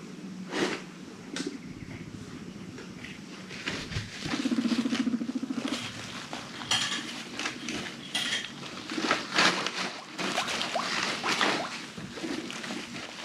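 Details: Frisky pet guinea pigs, Zucchin and Spaghett, chasing each other and rumblestrutting indoors; a low vibrating purr-like rumble lasting about a second mid-clip, amid scattered clicks, taps and scuffling of small feet.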